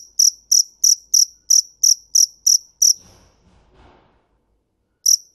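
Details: Cricket chirping in a fast run of about nine sharp, high, ringing pulses at roughly three per second. A brief pause follows with faint low rustling, then one more chirp.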